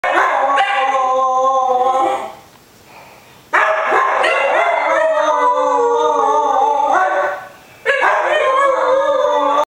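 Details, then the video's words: Two pet dogs, one a Dalmatian, howl together in response to a ringing phone: long, wavering, richly layered howls in three loud bouts, broken by a short near-silent gap and a brief dip before the last bout. "Dogs Howling"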